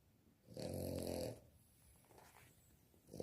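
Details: A sleeping Victorian Bulldog puppy snoring indoors: one long, rough, droning snore lasting about a second, followed by quiet breathing.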